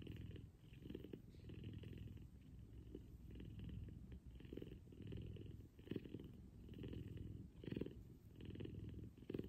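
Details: A big F2 Savannah cat cuddling with its owner in the morning purrs loudly and steadily, a deep rumbling buzz that swells and fades with each breath.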